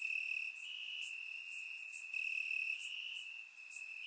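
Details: Crickets chirping in grass on a warm summer night in Bulgaria, recorded with a surround microphone: a steady high trill runs throughout, overlaid by brief louder pulses from other crickets, with no other animals or people.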